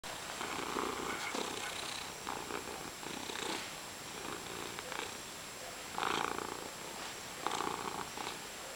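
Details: Female pet cat purring indoors, a low rumbling purr that swells and fades in soft rhythmic waves, with a few brief louder rasping breaths.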